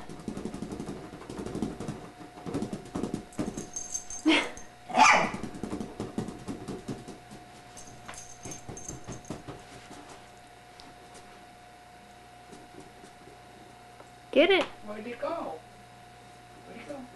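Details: Young female Pekingese x Chihuahua named Gizmo, indoors, lets out a few sharp isolated barks, one around the middle and another late, separated by long quiet stretches with faint rustling and shuffling.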